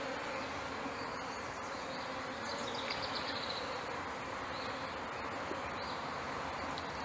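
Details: Package honey bees in May 2013, poured into a hive while the queen sits among her attendants; an unbroken, even hum of many wings throughout, with a brief higher whine midway and occasional light knocks.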